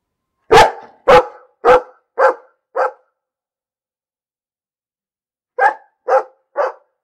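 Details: Dog barking in two bursts: five loud, sharp barks about half a second apart, each slightly fainter, then a pause of nearly three seconds and four more evenly spaced barks.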